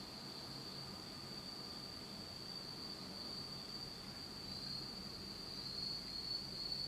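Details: Japanese autumn night insects in complete darkness keep up a sustained shrill trill on a single high note, with faint pulsing, growing slightly louder toward the end over a quiet low hum.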